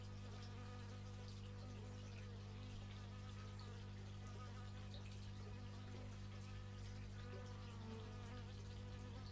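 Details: Dense, unbroken droning of bees recorded in stereo with an x/y microphone, deep steady hum layered with faint flickering whines of insects circling close.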